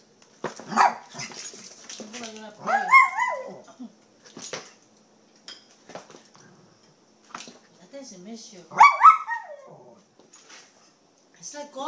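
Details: Little pet Poodle riled up in play while a person urges it to fight: a few sharp, harmonic barks and yips, mostly in two loud bursts several seconds apart, with human speech in between.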